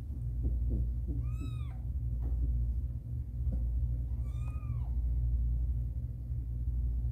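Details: Two clear meows, about three seconds apart, each with rising then falling harmonics, heard during the difficult birth of the cat Caramel's kittens, over a constant low background rumble and faint rustling.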